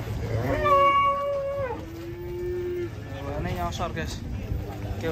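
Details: Rampaging cow swimming in water while local residents gather around: a drawn-out, steady low moo, then a second shorter lowing call, with people talking and crowd noise in the background.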